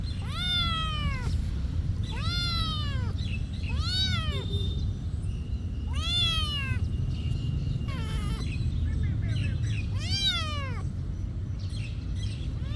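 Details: Cat at a monastery meowing over and over, about six arched, rising-then-falling meows spaced roughly two seconds apart, with a steady low rumble underneath.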